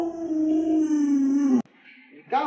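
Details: Home-raised Alaskan Malamute giving a long, level, rich-toned howl that sags slightly before cutting off abruptly, followed by quieter whining and another brief vocal burst; owners chat playfully nearby.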